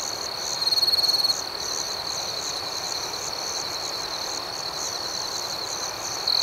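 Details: Many crickets at night keep up a shrill, even trill with rhythmic pulsed chirps higher up. A louder, sharper burst lasts about a second early on, and another begins at the very end.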